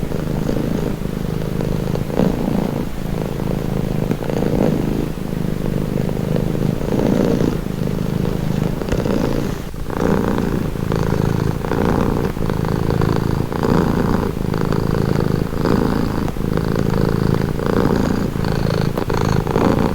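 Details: Continuous low purr from a pet cat, a dense rumble that pulses in breath-length waves, briefly quieter near the middle before resuming its even rhythm.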